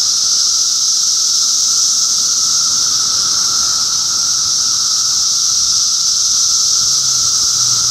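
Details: Many cicadas calling together in Middlesex County, New Jersey, during June 2013, a relentless shimmering hiss layered over a constant lower whine, steady in loudness from start to finish.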